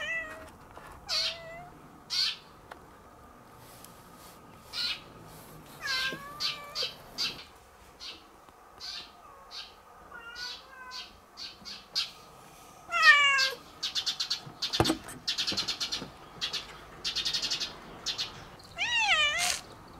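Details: Two cats romping through a garden in spring: scattered short chirps and clicks, then a few wavering meows near the end, against a quiet background with one sharp knock.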